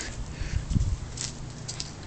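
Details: Mee Mee, a young Norwegian Forest Cat in a backyard, growls while defending a dragonfly she caught, shut outside the door. A low, rumbling growl in short pulses lasts about half a second, with soft outdoor background noise.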